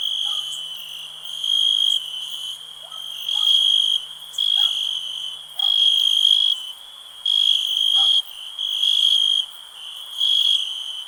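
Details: A cricket gives shimmering, high-pitched trilled bursts, each about a second long, separated by brief quieter gaps over a continuous ringing background; a few faint, lower clicks are heard early on.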